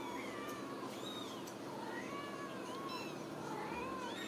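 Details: Ragdoll kittens from a home cattery in central Kansas give longer, lower drawn-out meows, wavering and rising and falling, with higher kitten squeaks in between and light clicks.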